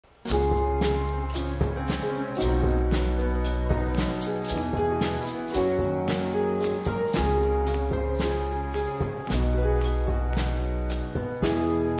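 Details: Upbeat instrumental music plays throughout, with steady percussion, shaker rattles and repeating melodic notes, and no animal sound is heard.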